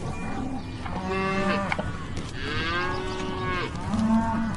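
Cows moo in long, low, drawn-out calls, one voice overlapping another.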